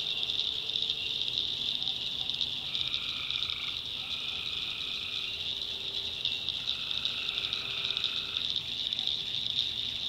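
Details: In the North Carolina backwoods at night, tree frogs keep up a constant high trilling chorus while longer drawn-out tonal calls of one to two seconds stand out twice, over faint insect hum.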